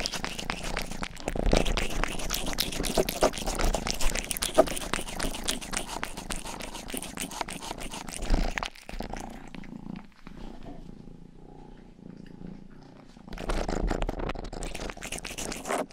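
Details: Indoor pet cat Rang-i, the youngest cat of the home, licks and purrs close to the microphone for ASMR; rapid rough licking over a low purr for about eight seconds, then a soft purr-only stretch before licking resumes.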